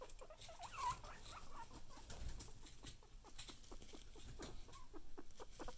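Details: A guinea pig asking for food gives brief, clipped squeaks, a few early on, then a denser run of quick repeated chirps in the second half, mixed with rustling and shuffling noises.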